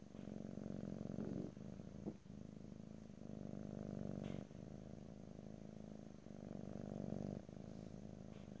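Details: Domestic cat purring close to the microphone, a steady low rumbling purr in long phases of about one to two seconds, alternating between inhale and exhale with brief pauses, recorded in stereo with no talking.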